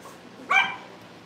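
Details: Cavalier King Charles Spaniel puppy, one of a litter raised in a family home and watched on a livestream: a single sharp, high yip with bright harmonics, lasting about a quarter second over a low steady hum.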